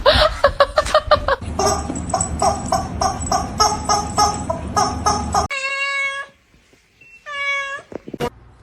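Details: Pet cat indoors: a run of quick, irregular repeated sounds mixed with voices gives way to two clear, even, tonal meows about a second apart, separated by near silence.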